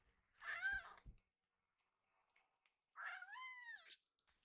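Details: Young rescued kitten demanding more food with big cries that sound like "iru"; two drawn-out, harmonic meows, the second longer and falling at the end, with a brief soft thump between them indoors.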